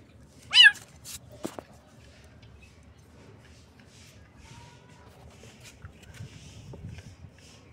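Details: One sharp, high-pitched kitten squeak-meow at the very start, rising then falling, followed by faint clicks and near quiet.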